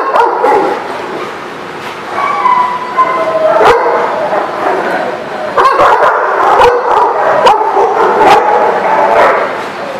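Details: Crowded kennel with several dogs barking, yipping and whimpering together in a continuous, overlapping racket, some higher whining notes in the middle and sharp individual barks cutting through.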